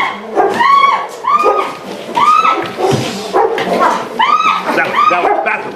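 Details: Giant schnauzer in protection dog training, a male once fearful and now aggressive, barking hard in harsh, rising-then-falling bursts repeated about every second, a man's voice talking over the barks.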